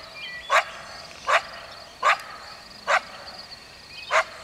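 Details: Coyote barking: five sharp, short barks about one second apart, each a brief broadband burst, with faint high chirps and a steady high hiss in the background.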